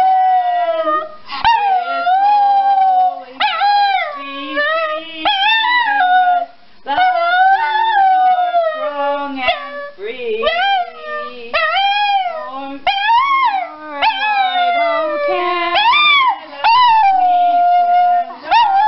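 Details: Pet dog 'singing' in a funny compilation: long wavering howls with rich harmonics, rising then sliding down, broken by short pauses and yips, sustained through most of the recording.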